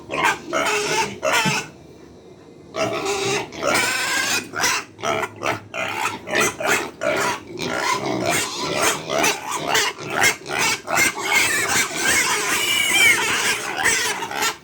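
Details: Pigs at feeding time on a farm, hungry and noisy: rapid repeated squeals and grunts, about two or three a second, loud and overlapping, after a brief quiet gap near the start.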